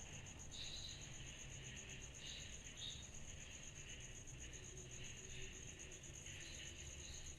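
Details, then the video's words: Cicadas at night in summer: a constant high beaded trill, with brief brighter buzzy bursts rising over a lower droning band every second or so, and a low background hum. "Summer Night Cicadas Sound Effect"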